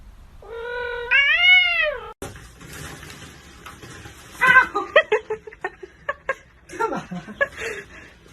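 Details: A cat gives one drawn-out meow, rising then falling over about a second and a half. Scattered clattering and short bursts of noise follow.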